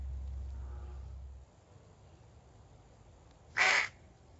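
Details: An angry Pacman frog lets out a single short, harsh screech late in the recording, loud and noisy across a broad range, after a stretch of low hum and near quiet.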